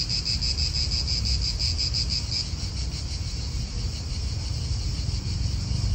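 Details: Cicadas in an Italian park: a steady high buzz that pulses rapidly for the first two seconds, then continues as a smoother drone, over heavy low wind rumble.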